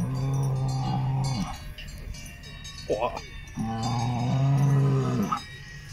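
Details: Salers cattle at a show in Pleaux, Cantal, France, 13 August 2022: two long, deep, level moos, each about one and a half to two seconds, separated by a brief higher cry and crowd murmur.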